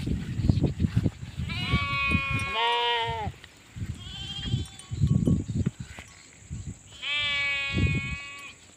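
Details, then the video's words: Sheep bleating in two long wavering baas with rich harmonics, then a fainter third bleat and a final drawn-out baa, over low rumbling handling and thumping noise and a steady high hiss. "SHEEP SOUNDS FOR KIDS - Learn Baaing, Bleating, Yelling, Screaming and Meh Sound Effects of Sheep"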